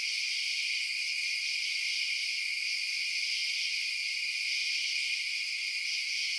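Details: Many crickets chirp through the night in a continuous shrill drone of stacked high notes, level and uninterrupted, with no other sounds present.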